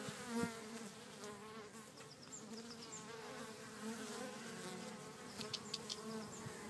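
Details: Bees in a back garden at Cretingham, Suffolk: a steady, droning buzz with rich layered overtones holding one low pitch throughout, with faint high chirps scattered in the background.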